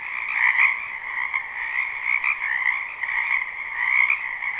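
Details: Massed croaking of frogs in a springtime wetland behind a house, captured live without looping: a thick, steady trilling chorus in two bands that swells and dips in brief waves.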